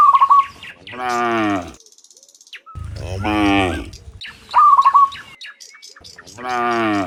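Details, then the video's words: Morning mooing from many cows walking from the field to the pen: three deep, rich, wavering moos about a second long, separated by brief, sharp bird trills. "Sound Dozens of Moo Cows in the Morning, Returning from the Field to the Pen, the Sound of Cows"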